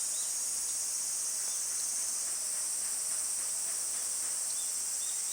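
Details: Cicadas in summer producing a dense, unbroken high buzzing drone that stays level and loud throughout, with a few faint, brief chirps barely audible beneath it.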